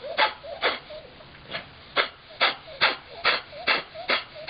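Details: Mickey, a Chihuahua x Miniature Pinscher foster dog rescued from a shelter, has kennel cough in early 2010. Harsh, hacking coughs come in a quick, steady series about every half second, with a soft wheezy tone between bursts.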